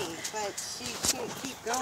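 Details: Several pet huskies in a spurt of crazy play, worked up after watching a malamute's stream on 10/2/17; short harmonic woo-like yelps rise and fall, with background chatter.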